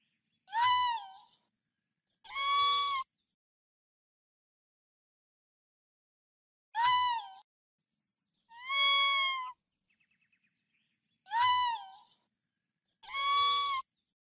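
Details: Raccoon cries arrive in pairs, a quick mew that falls away followed closely by a longer wavering wail, the pairs separated by several seconds of silence and a few faint clicks.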